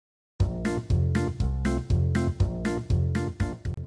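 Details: After a brief silence, a short bouncy instrumental jingle plays with a regular beat of about one note per second, and no animal sound is heard.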